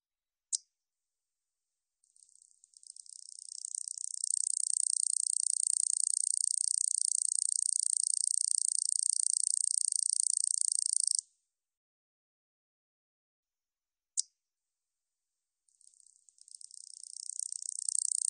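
A katydid gives a long, high, dry buzzing trill that runs steadily for several seconds.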